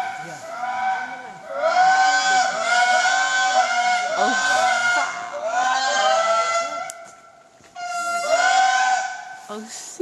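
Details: Indris in a national park near Andasibe, Madagascar, wail in chorus with loud swooping tones that rise and fall like whale song crossed with a saxophone. This is their daily call, heard here from a distance.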